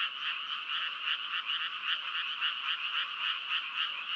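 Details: Croaking frogs in a loud chorus, rhythmic throbbing pulses repeating quickly, about three to four per second, over a continuous buzzing background of other callers.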